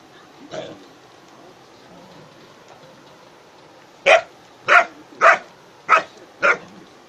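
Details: German Shepherd dog at play with friends such as a goat, one soft early bark then a run of five loud, sharp barks about every half second near the end.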